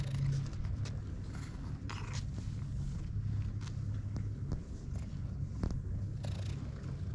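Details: Low continuous purring from a cat on a Japanese cat island, where the cats live in an abandoned school building, filmed with a GoPro HERO8; the deep rumble holds steady, with light handling noises and occasional sharp ticks.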